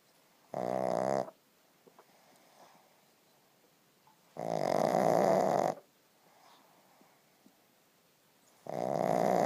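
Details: Sleeping pug snoring: three loud, rasping snores, each lasting roughly one second, with about three seconds of near-silence between them and faint soft breathing in the pauses.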